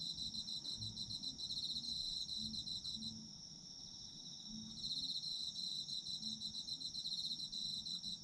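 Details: Chorus of autumn insects, recorded for sleep listening: dense high-pitched trilling pulses in sustained bouts with a brief softer lull near the middle, a constant thin ringing tone beneath, and a low murmur in the background.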